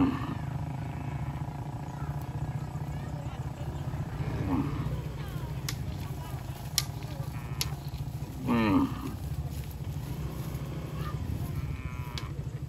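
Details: Crowd of cows on a highway heading home to the stable: two short, low moos several seconds apart over a steady engine rumble, with a few sharp clicks.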